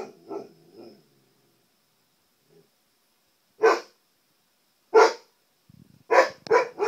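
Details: Siberian Husky kept as a pet barks at his reflection in the television; soft low grumbling sounds at first, then a pause, followed by loud single barks and a final quick double bark.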